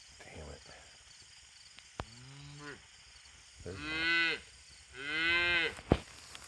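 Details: Young bull calf under a white oak tree gives three moos: a short nasal one near two seconds, then two longer, louder bawls with rich harmonics, while a man talks and urges animals along in the background.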